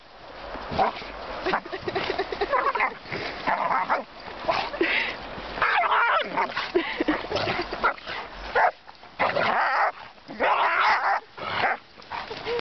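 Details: Dogs at play, a Giant Schnauzer alongside a four-month-old puppy: rapid yipping and whining, some calls thin and tonal, others harsh barks, crowding together with only short silences.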